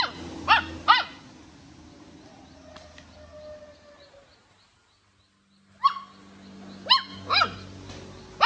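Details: A chewing puppy yaps in short high bursts, first a pair of barks, a lull with faint squeaks and near silence, then a rising yelp and a further run of three sharp barks, laughter following.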